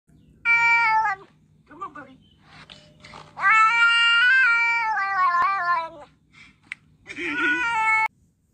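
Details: Domestic cat meowing loudly: a short meow, a few faint mews, then a long, drawn-out wavering meow lasting over two seconds, and a final rising-falling meow, all clear and tonal against a quiet background.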